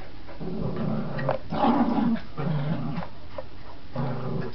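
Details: A tug game between Border Terriers Gracie and Marvin brings low, gravelly growls in several pulses, one longer rumble near the middle and another toward the end, over rustling and tugging noises.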